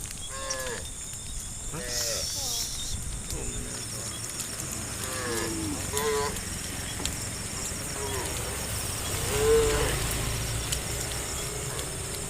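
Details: Tame cattle being herded toward a farm pen, a large herd moving across open fields: several short, faint moos overlap at intervals amid constant background hiss and shuffling noise.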